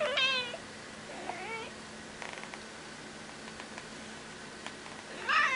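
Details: Pet cat meowing non-stop indoors to make a request; a drawn-out wavering meow opens, a shorter softer one follows about a second later, then rustling and small clicks before a loud rising meow at the end.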